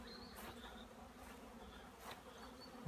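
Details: Honey bees in flight near hives at an apiary in Poland, 15 April 2016, as the sun returns after a long spell of rain. Soft continuous hum, a few faint high whistled bird notes and several sharp clicks.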